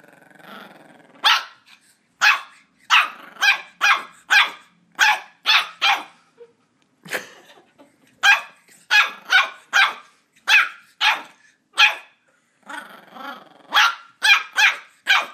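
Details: Border Terrier puppy Ollie in a long run of shrill, clipped barks while fighting a squeaky toy, about twenty yaps in bursts, with a brief pause midway and soft scuffling in the quiet moments.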